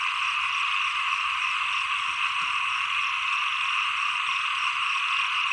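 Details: Small frogs calling together as the rainy season ends and the cold season begins, a continuous, even, buzzing chorus that holds at one level throughout, with no clear single voice standing out.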